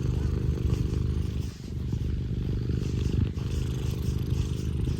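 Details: Pet Scottish Fold cat Tino giving a strong, engine-like purr while seeking affection; dense low rumbling, one brief dip midway, faint rustling on top.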